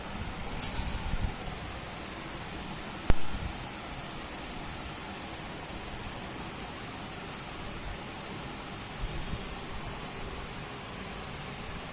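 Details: Steady rushing noise like rain or distant traffic fills the recording, broken by a single sharp click and faint rustles.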